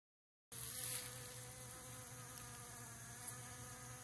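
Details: Western honey bees collecting pollen from centipede grass make a continuous, even, low droning wing buzz with rich overtones, steady in pitch over a soft background hiss.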